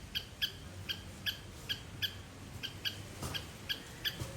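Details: Sri Lankan garden squirrel calling loudly, a series of clipped, shrill chirps spaced about half a second apart, fairly steady, with a soft low rumble underneath.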